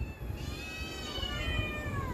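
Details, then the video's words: Hungry house cat crying for food indoors: one drawn-out, strongly harmonic meow that wavers and slowly falls in pitch, with a second meow overlapping and a low background rumble. "Cat crying for food"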